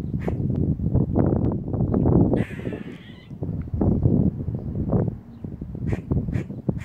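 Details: Warning call of a squirrel perched on a house roof: a drawn-out harsh rasping note between bursts of brief clipped chucks, partly buried under strong low wind or handling rumble.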